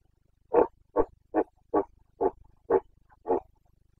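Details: Carpathian red deer stag in rut in Bucovina, Romania, breeding season: seven short, gruff grunting barks in quick succession, each under half a second, a rapid staccato series with quiet between.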